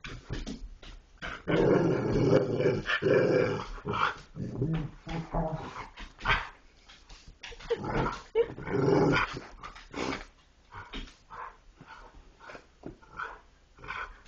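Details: Dogs 'talking' through a long series of irregular, choppy growls and grumbles, several bursts every second, louder in the first ten seconds and fading toward the end.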